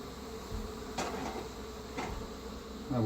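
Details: Honey bees swarming around a hive whose feral queen was just removed for an Italian replacement: a dense, steady hum of many bees, broken by sharp knocks about once a second as the hive is handled.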